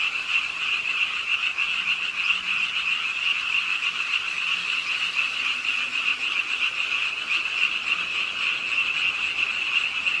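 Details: Many frogs calling from the pond edge at Ingye Art Park, Suwon, late on a rainy night; a dense, even chorus of quick repeated croaks blends into a constant high trill, with rain in the background.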